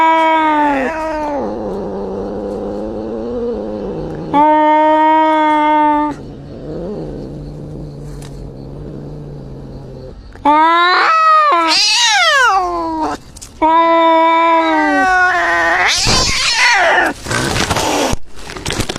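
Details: Injured cat alternating long, flat moaning yowls with a low rumbling growl, then a run of sharp rising-and-falling wails, ending in a harsh, noisy hissing burst.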